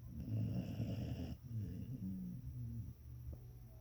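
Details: Asleep, an English springer spaniel gives a loud, gravelly snore of just over a second, followed by softer wheezy, fluttering exhalation, all over a steady low background hum.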